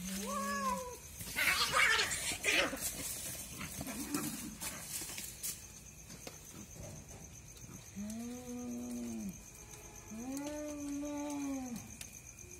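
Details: Night fight between two cats: a short low wail, then a noisy harsh outburst of spitting and scuffle, followed by two long, steady, moaning yowls with slight rises and falls.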